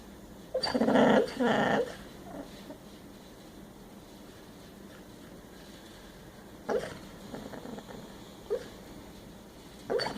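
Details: A dog snores and snorts while dreaming in its sleep, with two long noisy rasping breaths early on, then quieter short snorts spaced a few seconds apart.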